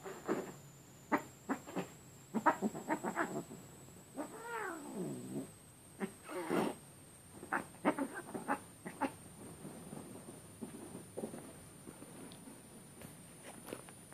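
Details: A Siamese cat gives a drawn-out, wavering yowl amid soft scuffling thumps during an intense play fight with an orange tabby kitten, wrestling and swatting.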